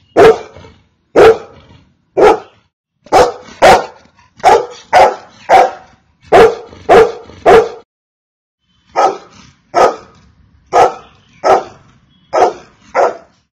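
A Golden Retriever barks in loud, deep single woofs, often paired, with brief pauses between bursts.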